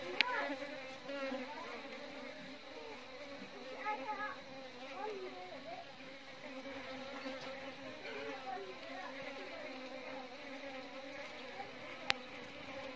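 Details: Continuous droning hum from Asian honey bees (Apis cerana indica), the tone steady with faint wavering overtones and small fluctuations, plus a couple of brief sharp clicks.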